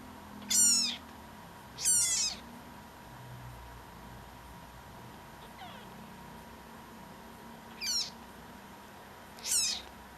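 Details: High-pitched, squeaky meows from a chatty adopted tabby kitten rescued before a big storm; four sharp cries and one faint one, irregularly spaced, with a quiet electrical hum behind.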